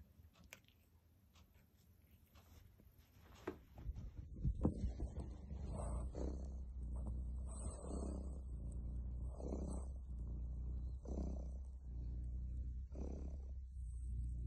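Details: A relaxing tomcat purrs: a steady low rumble that swells and eases in breathing cycles about every one and a half seconds, after a few seconds of soft rustling and handling noise at the start.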